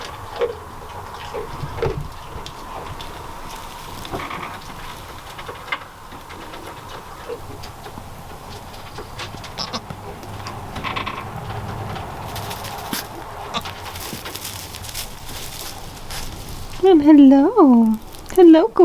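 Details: Newborn goat kids, spotted like their mother, give loud quavering bleats in a quick series during the last two seconds after a long stretch of low rumble and soft clatter.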